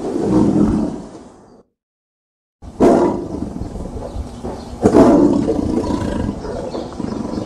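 A tiger growls in deep, rough bursts that rumble and fade, with wind blowing throughout.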